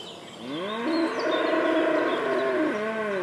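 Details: A longhorn cow walking along a path at Knepp rewilding site, Sussex, in May gives one long, rich moo of about two seconds. It rises into a steady harmonic bellow, then drops at the end. Longhorn cattle.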